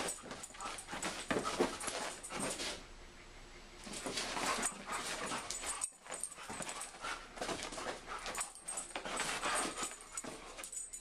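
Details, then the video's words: Two dogs, a German Shepherd and a Siberian Husky, play fighting: nearly continuous rough growling, yips and whimpers in long bouts, a brief lull early on, with scuffling throughout. "German Shepard vs. Siberian Husky"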